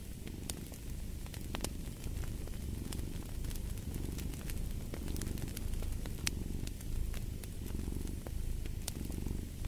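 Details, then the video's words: Steady low rumbling cat purr, swelling and easing in slow cycles of about a second and a half, with sharp crackles and pops from a fireplace scattered throughout. "Purring of a Cat"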